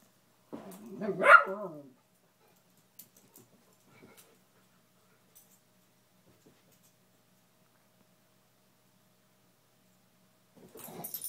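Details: Pet beagle indoors barking at a fallen Spider-Man lamp it seems terrified of or wants to play with, while a rat terrier guards the lamp: one loud, harmonic, yelping bark near the start, then near silence with faint knocks.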